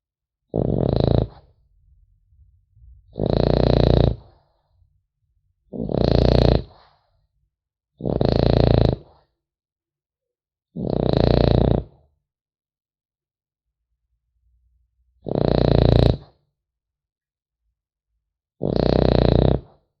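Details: Snoring French Bulldog puppy, sleeping; seven rough, low rasping snores at uneven intervals of two to four seconds, separated by quiet soft breaths, indoors with no other sounds.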